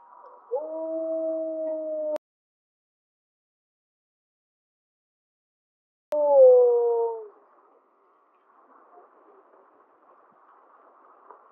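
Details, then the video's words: Howling from gray wolf 1048M, Mollie's pack, April 2025, with the second harmonic dominant; a flat sustained note cut off abruptly, silence, then a short falling howl followed by faint noise. "Howl of 1048M of Mollie's Pack"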